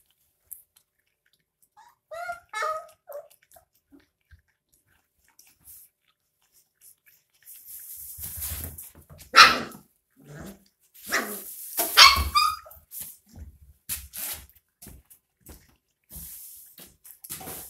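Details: Puppies 22 days old drinking milk from a bottle: a few thin, high squeaky whimpers early on, then bursts of noisy slurping and sucking sounds with short squeals mixed in, in an otherwise quiet setting.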